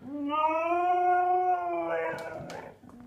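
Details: Indoors, the husky Ferrari talks back angrily after a sneeze: a drawn-out rising-then-level howl of about two seconds, breaking into rougher grumbling syllables, with a sharp clatter near the end.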